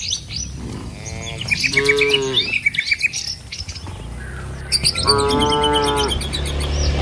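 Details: Several long moos from cattle herded down a rural village road toward their pen, two close together and a third after a pause, set against constant high bird chatter and low road rumble.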